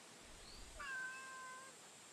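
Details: A female stray cat met on the street during a daytime walk gives one drawn-out meow. It rises briefly, then holds steady for about a second before fading, over quiet outdoor background hiss.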